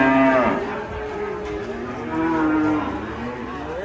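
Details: Angry cow with her small calf: a loud, harmonic moo falls steeply in the first half second, then a second, longer and steadier low moo swells from about two to three seconds. A hum lingers underneath.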